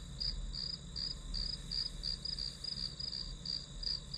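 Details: Grass insects chirping as a study-session backdrop: short, high, bright pulses repeat almost three times a second over a steady thin high whine, with a soft low rumble underneath.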